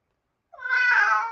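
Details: A pet male domestic cat indoors meows during a live story reading and is said to like that part of the story; one drawn-out harmonic meow lasting about a second, with no other sounds.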